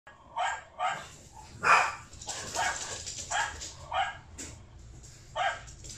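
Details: Boston Terrier puppy reacting to other dogs barking: short, mid-pitched, rough barks come in about seven irregular bursts across six seconds, with quiet gaps and a low steady hum underneath.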